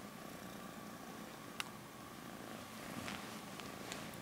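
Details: Continuous soft purring from a small male cat grooming his fur, even and low, broken by a sharp click early on and a few light taps or rustles toward the end.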